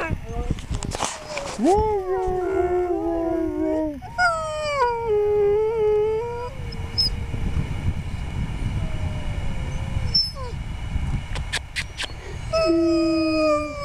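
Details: Siberian Huskies on a sled ride at Schröcken am Hochtannberg, Austria; several wavering, sliding howls and whines overlap in the first seconds, then fade under constant rumbling runner and wind noise, with brief high yelps near the end.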